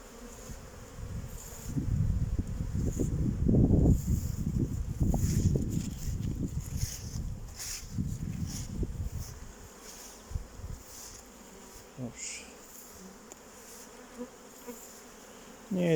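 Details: Honey bees in a home apiary on 8 May 2023, about 14 degrees, circling before going out to forage; a loud deep buzzing builds for several seconds, then thins to scattered passes, with short chirps near the end.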